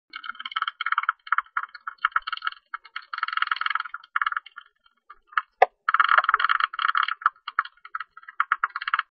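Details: A Hilgendorf's tube-nosed bat, recorded in 2020, gives rapid, rattling bursts of harsh, buzzy chatter broken by short pauses.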